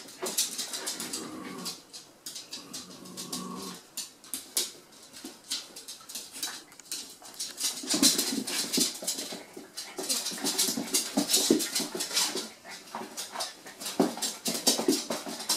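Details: Poppy, a terrier and one of three household dogs, playing with a tennis ball: a drawn-out, high, tonal whining whimper through the first four seconds, then scuffling, clattering and rustling play noises take over.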